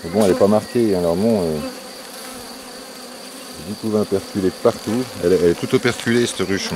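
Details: Honey bees buzzing at a drone-laying hive being rescued with a brood frame and nurse bees, 3 May 2021. A strong swooping buzz at the start, then a quiet hum, then rapid choppy buzzes of bees darting close.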